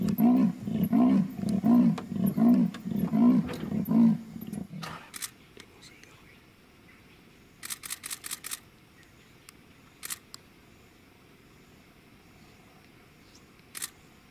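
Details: Night-time leopard in Mashatu after rain, heard while tracking on muddy earth: six or seven rough, low sawing grunts in quick succession over four seconds, then quiet with scattered clicks and brief rattles.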